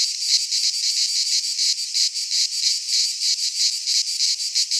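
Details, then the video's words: Cicadas singing in midsummer in a Greek pine forest: a dense, continuous high buzzing chorus, pulsing several times a second with a steady throb, filling the upper range with no other sounds. "Cicadas singing in midsummer - Nature sounds from the Greek fauna - Sounds of cicadas"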